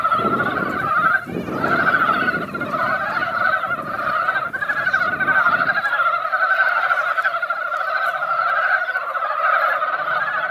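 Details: After a light spring rain, mountain frogs crowd into a mountain pond and call together in a loud, continuous mass of overlapping croaks, thick and steady throughout. A low rumble is heard in the first half.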